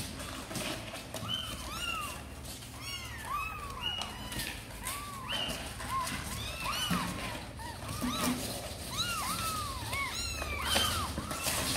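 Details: Sor and Kapov's kittens, eager to come out and play, keep up a steady stream of short arched mews against a noisy background with some low rumbling and a human voice.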